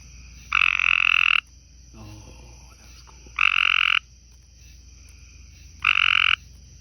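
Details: Tree frogs calling on a porch beside a pond, a light green one seen, possibly a male and female: three harsh, buzzy rasping calls about a second long, spaced two to three seconds apart, with a steady high hum behind.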